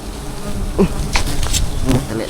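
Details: Honey bees by honey water giving a steady low hum with faint harmonic bands, broken by a few sharp ticks and taps.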